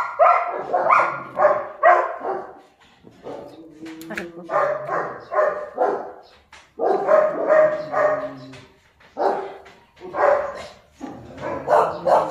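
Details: Kennel-kept German Shepherd pups bark and yelp excitedly in rapid, uneven bouts, high squeaky calls tumbling over one another, with a couple of short pauses and faint voices.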